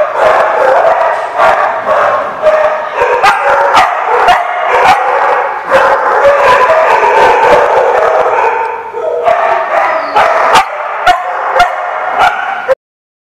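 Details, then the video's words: A chorus of many dogs barking at once, recorded 8/7/15; loud overlapping barks roughly twice a second, thinning briefly near nine seconds, then swelling again before an abrupt cut to silence. "The Barking Lot"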